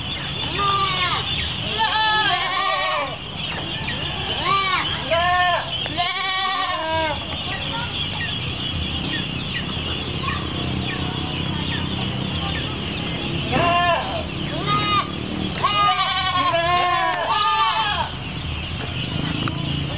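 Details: Goats calling as they wait for feeding at an Islamic boarding school in Pulau Petak district, Kapuas, Central Kalimantan, on 10 February 2013; bursts of overlapping quavering bleats with a quieter middle stretch of murmuring voices.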